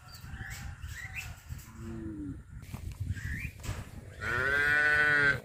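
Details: Village cattle heading each morning to green grazing pasture, a few faint, short calls followed by one loud, sustained, tonal moo at the end, amid rustling, footsteps and background noise.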